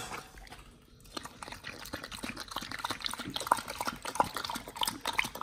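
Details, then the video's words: Pit Bull named Nomyen eating raw beef shank with tripe, chicken feet and quail egg; a brief quiet pause, then steady wet smacking and crunching at about one and a half bites per second. "nomyen the Pit Bull eats Raw Beef Shank combo [ASMR]"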